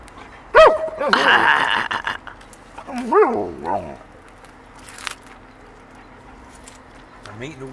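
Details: Alaskan Malamute Pinga, a 13-year-old female dog, vocalizing for ice cream: a loud rising-falling howl-like yodel around one second, a second wavering whine near three seconds, with a person talking over it.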